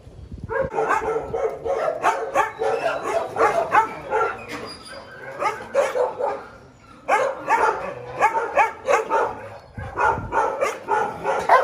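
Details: Several small dogs yapping rapidly and almost continuously in quick, high, sharp barks, with one short lull midway before the excited chorus resumes.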